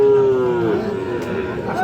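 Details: Sahiwal bull calves at the Aftabganj cattle market in Dinajpur on 7 July 2026; one drawn-out, tonal moo that slides slowly downward in pitch for under a second, with crowd chatter and voices throughout.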